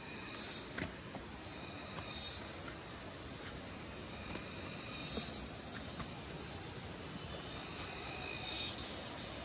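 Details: Cricket, locally called huliglig, heard loudly on a trek to the Tinipak River in Daraitan, Rizal, Philippines; said to live among branches, wood-coloured, noisiest at midday and sunset. A dense, high, rasping drone pulses steadily, with faint thin whistles above.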